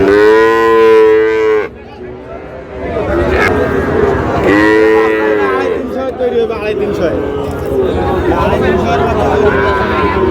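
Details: Sahiwal bull calves being bought by a farmer in Pabna, Bangladesh, on 23 August: a loud, harmonic moo lasting under two seconds at the start, then a second, shorter moo midway, over steady crowd talk and bargaining voices.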